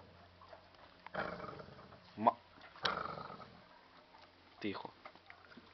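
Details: A Basset Hound from Zagreb, Croatia, lets out rough, throaty bursts, part growl and part bark, each under half a second, at uneven intervals, with a low background hum and possible voices between them.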